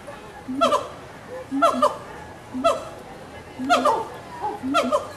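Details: Gibbons in a zoo enclosure at Walt Disney World's Animal Kingdom, 2018, calling back and forth: paired hooting notes with quick pitch sweeps, about one burst per second, against low background noise.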